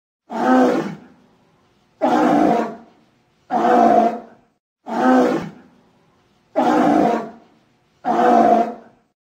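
A sea lion calls with harsh, throaty roaring barks, each lasting about a second. The calls come in a steady series, one every one to two seconds, with short silences between them.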